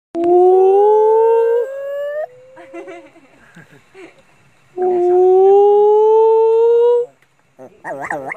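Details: A little white-cheeked gibbon in a park, provoked by visitors, howls very loudly in long, rising whooped notes, with a murmur of voices between them.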